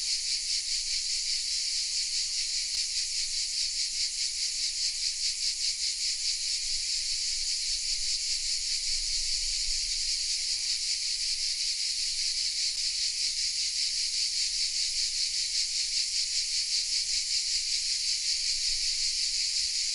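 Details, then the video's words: Cicadas singing unseen in the oaks of Vézénobres, a southern French village: an unbroken high buzzing drone with rapid regular pulsations, unchanging for the whole stretch, with a few faint clicks and a low background hum. "The sounds of CICADAS😊 : Welcome in the south of France"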